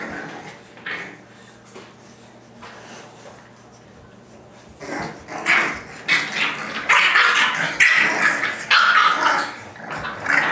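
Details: Seven-week-old English Bulldog puppies, including Mr Bear, play roughly with short, rough grunts and yaps that grow louder and busier halfway through.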